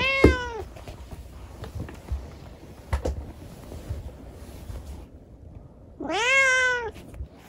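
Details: Rescued kitten with a leg disabled by an accident, talking at night indoors: a short meow at the start, quiet room noise and small knocks, then a louder rising-falling meow near the end.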